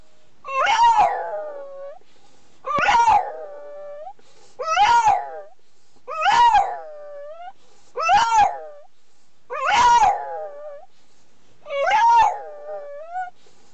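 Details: French Bulldog howling in a grating, cringe-inducing voice, giving seven wailing cries about every two seconds, each rising sharply then bending and trailing off in a wavering, harmonic-rich tone, with quiet pauses between them.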